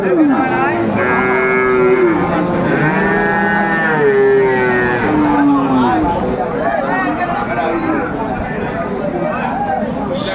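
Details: Friesian and cross-breed bull calves at Aftabganj cattle market in Dinajpur, 10 September 2024, call in a string of rich, harmonic moos, some bending downward at the end, with crowd chatter throughout and the calling thinning toward the close.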